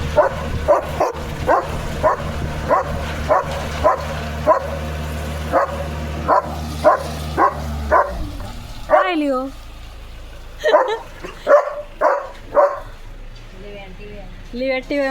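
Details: Leo, a pet German Shepherd, barks in a steady series of sharp, loud barks about twice a second for eight seconds over a low machine hum, then falls quiet while bird-like chirps and sweeping whistles follow.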